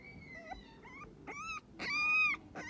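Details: English Staffordshire Bull Terrier puppy crying: a series of thin, high whistled whimpers, some level and some rising, the longest held note near the end, with short pauses between cries.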